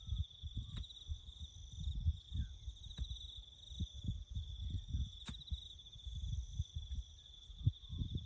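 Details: Crickets chirping in the bush during farm work building a road: a steady, high, finely pulsed trill runs without pause under low rumbling thumps and a few sharp clicks.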